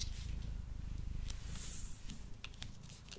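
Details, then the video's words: Male pet cat purring while eating indoors, recorded up close on a Blue Yeti microphone: low, rough rumbling throughout, with scattered sharp clicks and smacking sounds from the meal. "Cat Purring and Eating Sounds"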